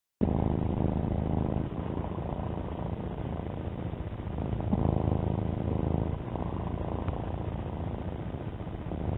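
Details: Domestic cat named Alfie purring: a steady, low rumbling drone with faint pulsing, continuous for the whole stretch, with no other clear sounds.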